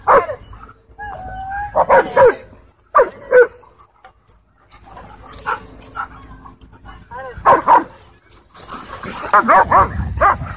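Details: Aggressive dogs fighting at a dog park: short bursts of harsh barking and snarling, spaced several seconds apart, with people's voices mixed in between the outbursts.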